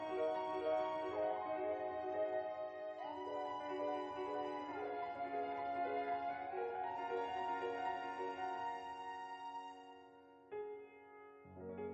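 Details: Gentle piano background music plays throughout, with no snoring or other animal sound heard.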